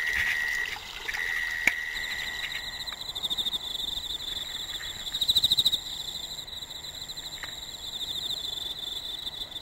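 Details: Several autumn insects singing together in an exceptionally hot summer: a steady ringing tone fades out early while a higher, fast pulsing trill swells and falls, and a very high thin whine runs over quiet background hiss.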